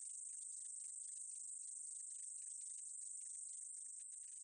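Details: Meadow katydid recorded in 2020: a dense, continuous high-pitched hiss, strongest in a steady band near the top of hearing, with rapid crackling ticks reaching lower, repeating several times a second without pause.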